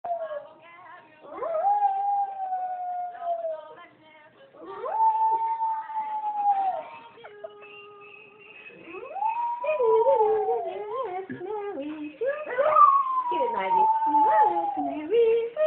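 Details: A Shih Tzu howls along to Ella Fitzgerald's "The Hot Canary" in long, wavering tones that rise, hold, then slide down, with faint music behind.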